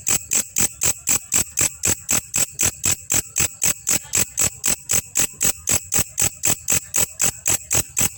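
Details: Grasshopper known as belalang kecek, recorded as training material for songbirds, giving a long, even series of crisp, bright ticking rasps at about four per second, each pulse short and evenly spaced.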